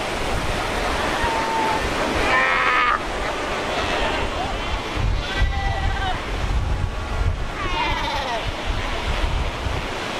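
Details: Cape fur seals at Cape Cross on Namibia's Skeleton Coast, a colony of over 100,000 animals on ocean rocks; scattered bleating, wavering calls from several seals over steady roaring surf and wind.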